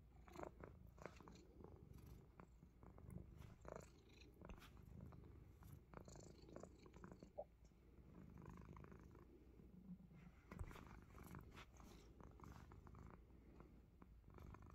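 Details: Himalayan Persian cat biting fingers, a steady low rumbling purr running throughout, broken by scattered sharp clicks and chewing noises from the biting.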